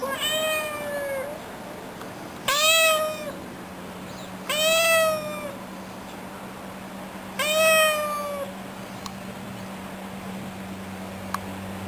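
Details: A pet cat meowing indoors: four drawn-out, slightly falling meows spaced a few seconds apart, with a steady low hum in the background.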